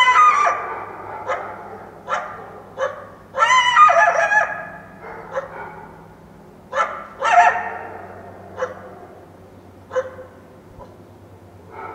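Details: Wild coyote in the Washington Cascades foothills at dawn following a full moon night: loud, harsh, strained yelps with piercing overtones, some in quick clusters, others spaced a couple of seconds apart, over a faint low hum.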